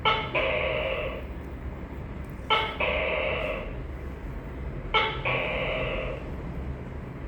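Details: Three evenly spaced tokay gecko calls roughly every two and a half seconds, each a quick hard note followed by a longer, resonant, slightly falling syllable, against a faint low hum.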